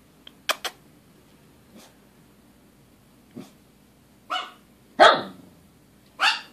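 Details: Dogs Xena and George barking at nothing: a couple of quick sharp barks open the clip, a few soft ones follow, then three loud, harsh barks come close together near the end over a faint steady hum.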